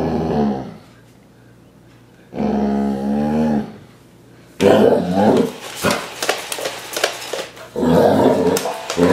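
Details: Basset Hound in a training session to defend against invading robots gives two long, low, harmonic baying howls, then a run of rough growling barks and a final drawn-out bay, indoors, with faint mechanical whirring between calls.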